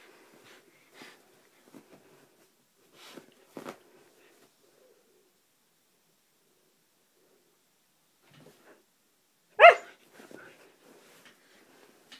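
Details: Siberian husky Roxy at play in a room gives one sharp, loud bark near the end, preceded by scattered thumps and soft huffs; a few quieter grunts follow it.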